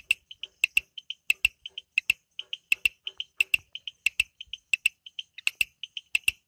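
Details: In the Amboli hills forest, Sindhudurg, frogs call at night with rapid, evenly bright high chirps and frequent sharp clicks, densely interleaved and overlapping, clear against an otherwise quiet background.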